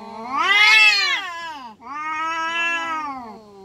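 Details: Two loud, harsh, sustained yowls from fighting village cats, the first climbing into a strained scream, the second a long wavering wail that slowly fades.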